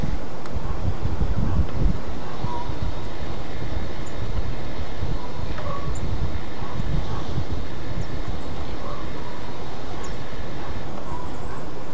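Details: Only a steady, deep rumble like a passing train or vehicle is heard, with no animal voice. Faint thin tones ride above the low roar, but no call stands out.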